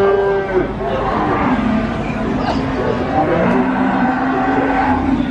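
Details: Calf at Nglangon livestock market, Sragen, Central Java, lowing in a long, low, wavering moo that holds and slides gently upward over several seconds, with crowd murmur and traders talking behind.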